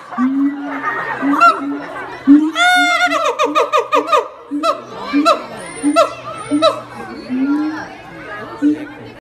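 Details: Keiji, a male siamang at Higashiyama Zoo, courting: loud, wavering harmonic whoops break into a fast burst of sharp barks climbing in pitch and a few high shrieks, over a steady low hum and possible voices.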